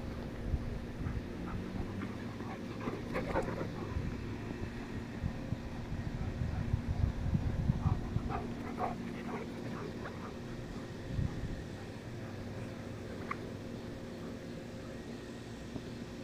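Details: Two German Shepherds playing in a backyard, the male Chase almost 16 months old and his younger sister Daisy almost 5 months old. Scattered short whimpers and yips come in brief bursts, heaviest early and midway, over a steady low mechanical hum.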